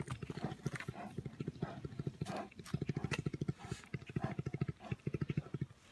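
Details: Brown bear purrs as it plays with its carer, a fast, steady run of deep buzzing pulses repeating in long trains with brief pauses between them and faint handling noises above.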